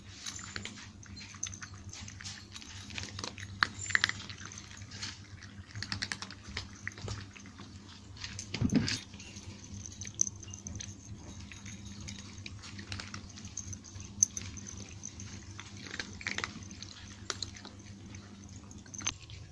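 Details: Crunchy chewing from nine pet cats eating dry food at breakfast and snack time in Portugal. Rapid, uneven clicking bites with a louder crunch burst near the middle, over a low background hum.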